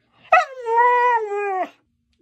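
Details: Dog howling, from a breed group named as husky, Siberian and malamute: a single sustained tonal howl about a second and a half long, starting with a sharp onset, holding steady with rich harmonics, then dipping slightly before cutting off.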